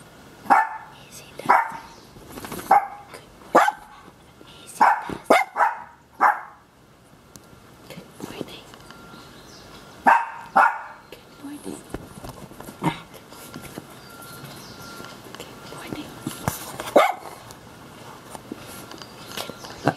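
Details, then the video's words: Miniature schnauzers Kishka, completely blind, and Lapi, still young, cheerfully greet their owner out of bed in the morning: a quick run of sharp barks over the first seconds, then sparse yips, with a person talking and laughing. "Happy dogs greet me cheerfully out of bed."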